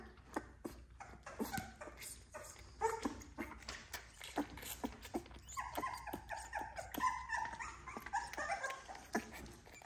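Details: Bottle-fed XL American Bully puppies from a litter of ten, indoors; a long, quavering whine stretches over the second half, layered over rapid clicking from feeding and handling.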